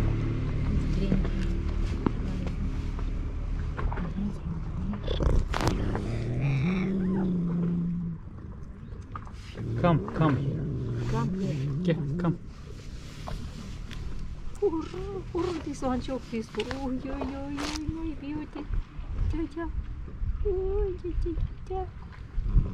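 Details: Two hostile male stray cats by the sea in Istanbul: a long low steady growl, then after a pause rising and falling wavering yowls, mixed with a woman's chatter, clicks and outdoor background noise.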